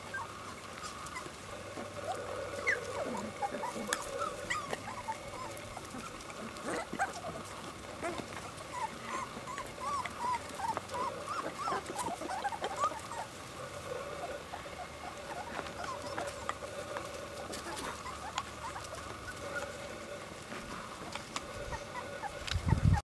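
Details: Pure-bred Border Collie puppies, blonde and black-and-white, playing with their mothers and the blondes' father; scattered high whimpers and short yips through steady background hum.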